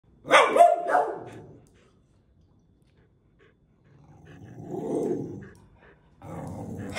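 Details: A corgi, facing off with a Cavalier spaniel, gives a sharp, high, harmonic bark, then a lower, rough, drawn-out sound like a growl.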